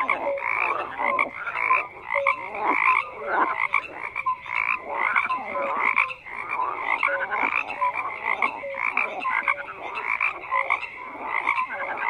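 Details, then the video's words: Overlapping frog croaks form an unbroken chorus, harsh ratcheting pulses mixed with short whistled tones, the calling surging and easing every couple of seconds. "FROGS CROAKING"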